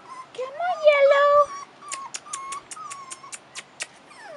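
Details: Whimpering from 4.5-week-old Rottweiler puppies on their first trip outdoors: one long wavering whine early on, then a string of shorter, flatter whimpers, with quick clicks in between and gentle encouraging speech nearby.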